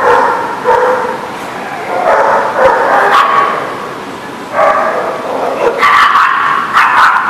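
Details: Several dogs on September 21, 2019 bark and yelp over one another in loud clusters, with a quieter gap around the middle before another dense outburst of overlapping barks.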